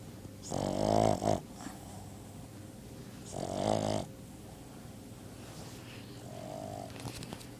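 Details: Sleeping dog snoring indoors: two long buzzy, rasping breaths about two and a half seconds apart, with a fainter, softer snore near the end against a quiet background hum.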